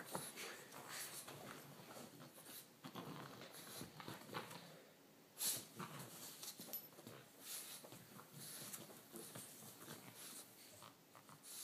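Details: French bulldog playing with and attacking a toy rat, giving quick breathy snorts and snuffles in irregular bursts, with scuffling noise throughout.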